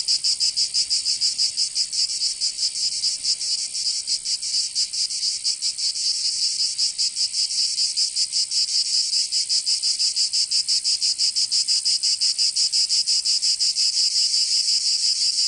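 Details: Summer chorus of cicadas in Provence, southern France. The high rasping drone throbs roughly three times per second, its beat slightly uneven as several insects overlap. No birds, wind or people are heard.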